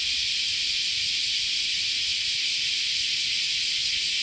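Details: Continuous chorus of many cicadas in summer at Chionji Temple, Kyoto, Japan: a dense, unbroken high hiss-like drone holding steady throughout, with no gaps or other clear sounds.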